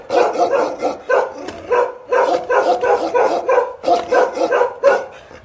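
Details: Aggressive barking from a pair of Bakarwal protection dogs. Harsh, deep barks run in rapid clusters of three to five, separated by brief gaps.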